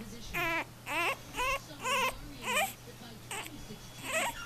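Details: A 4-week-old male French Bulldog puppy, unhappy while trying to learn to walk, gives a string of high, wavering whining cries, about one every half second.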